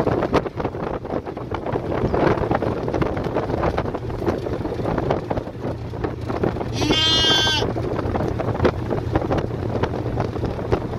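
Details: Female fainting goat on the drive home, calling loudly after hearing the other goats. One long, wavering bleat stands out midway through a steady rumble of vehicle and wind noise.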